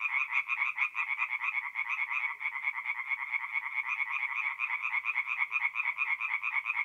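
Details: Tree frogs calling together by night from a forest pond in north-eastern Italy in mid-April: a continuous wall of fast, rattling pulsed notes from many overlapping voices.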